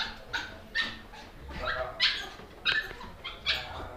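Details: A dog barks in short, sharp bursts, roughly every half second to second, over a steady background hiss, with music faintly present.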